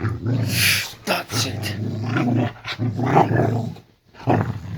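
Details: Low, drawn-out rumbling growls come in several pulses with short breaks from Layla, a female Boxer dog in a bedroom at bedtime. A loud burst sounds near the start.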